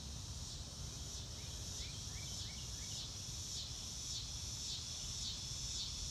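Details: High pulsing cricket chirps swell and fade in a wavering rhythm about once a second, joined by a short run of falling bird whistles in the first half, against a low background hum.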